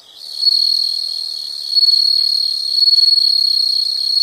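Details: Insects trilling in a nature recording: a steady, high continuous trill holds one pitch throughout, swelling louder in pulsing waves after the first second and a half, with a faint second higher band above it.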